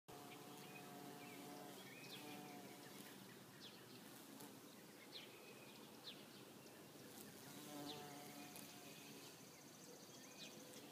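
A bumblebee gives a steady, low, rich buzz with a layered hum, made while pollinating flowers.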